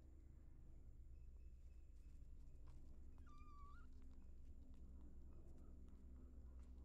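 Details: Cat family of three kittens and their caring mother found in a house storeroom; one short, clear meow, about half a second, bending up then holding level, over a steady low hum with faint high insect-like whine and scattered clicks.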